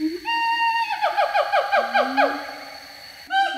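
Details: Siamang pair, a tailless gibbon, calling back and forth: the father, throat sac inflated, and the mother answering. A loud held note breaks into a fast series of downward-sliding barks, under a long low rising boom, then a fresh loud note.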